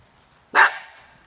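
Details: A male Cairn Terrier guarding his yard gives a single sharp, loud bark at something nearby.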